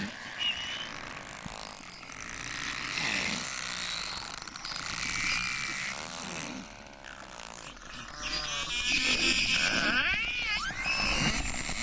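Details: Narwhal, the ocean's unicorn known for its sword-like tusk, recorded underwater: warbling upsweeping whistles, harmonic buzzy pulses and squeaks layered over each other, with noisy bursts and low rumble throughout.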